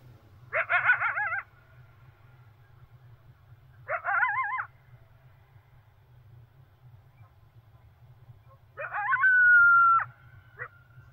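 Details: Coyote at dawn: three bursts of wavering, quavering howls and yips spaced a few seconds apart, the last swelling into a long, steady, high held note before breaking off; otherwise quiet apart from a faint low hum.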